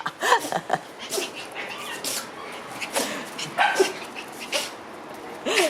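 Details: Black Shiba Inu dog sneezing again and again indoors: short, sharp, hissing bursts come roughly once a second, with faint, brief voiced sounds between some of them.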